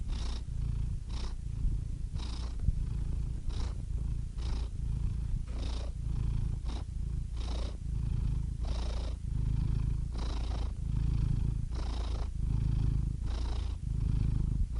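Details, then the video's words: Cat purr, deep and rumbling, pulsing in a regular back-and-forth rhythm of in-breath and out-breath about once per second or so, with soft airy rasps on some pulses, steady volume throughout. "Soothing Cat Purr Sound Effect"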